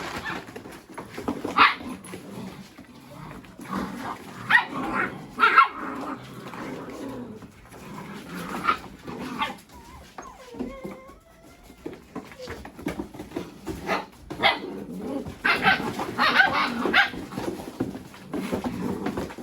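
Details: Several Mini Goldendoodle puppies at play with boxes, chasing each other and rolling around; scattered sharp puppy barks and yips come in bursts, a thin falling whine sounds midway, with thumping and rustling of play throughout.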